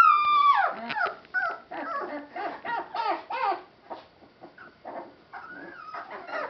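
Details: Rescue Boston Terrier–Pit Bull mix puppies from one litter whimper and yip in high, wavering cries, one after another in quick succession.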